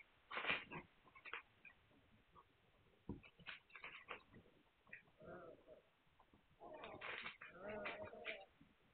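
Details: Young Hungarian Vizsla puppies, filmed 9 March 2021, give brief squeaky cries and a couple of tonal whimpers amid rustling and tapping noises.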